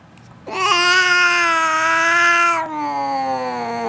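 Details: Perched on top of the refrigerator, Missy, an F2 Asian Leopard Cat, gives a loud, sustained, even yowl lasting about two seconds. A softer, lower, falling cry follows in a small indoor room.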